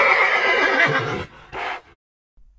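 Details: A horse giving a loud, shaky whinny lasting over a second, followed by a shorter, breathy snort-like call; then near silence.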